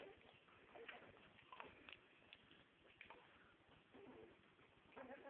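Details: Staffordshire bull terrier pups, nine days old, making thin, brief squeals and bleat-like whimpers, some rising sharply, scattered across a few seconds against constant background hiss.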